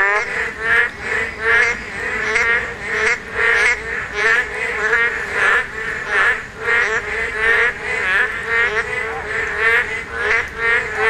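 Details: Dense breeding chorus of Korean narrow-mouthed toads at spawning time, many nasal croaks overlapping in rapid, uneven pulses over about eleven seconds, with no other sounds clearly heard.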